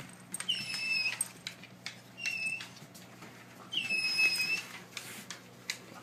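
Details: Domestic dog at home whining while its owner scolds it over a chewed pizza box; three separate high, nasal whimpers, each about half a second long and slightly falling, with soft clicks and rustles between.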